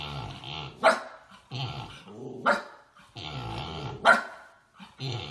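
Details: A miniature Siberian Husky (title also mentions Alaskan Malamute) gives sharp barks between rumbling, growly vocal grumbles while trying to start play with a companion that doesn't want to play.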